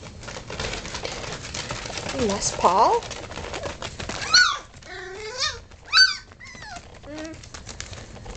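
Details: Four-week-old Vizsla puppies during mid-morning play time, giving a run of high, wavering whines and short yelps, some rising then falling, clustered in the second half over a steady background hiss.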